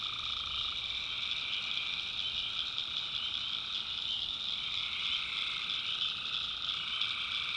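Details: Many tree frogs at night in a North Carolina backwoods swamp, giving a constant high-pitched buzzing trill with a lower steady band running beneath, no breaks.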